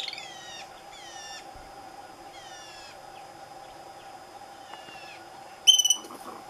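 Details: Two Franklin's ground squirrels fighting at Douglas Regional Park on July 30, 2018, around 8 am: a run of high, thin, falling whistled squeals with overtones, then a sudden loud harsh burst near the end, over a steady low hum.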